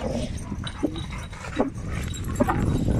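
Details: Dogs meet as a Dogo Argentino named Lilit walks in among seven rottweilers, including the females Prenses and Gece, whom she had not met before. Three brief high whimpering yelps come roughly every 0.8 seconds over steady low rumbling noise.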